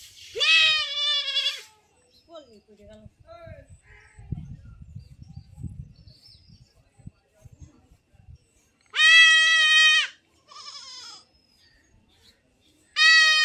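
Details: Goat being castrated, giving loud, strained, quavering bleats at the start and near the end, separated by a long gap of people talking and low handling noise.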